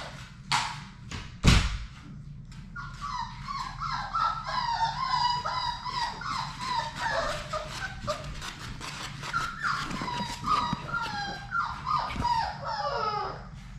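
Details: Labrador Retriever puppies, a litter of six, playing together indoors in their play room; a sharp thump, then a long run of high, bending whines and little yips overlapping one another, with scrabbling and rustling throughout.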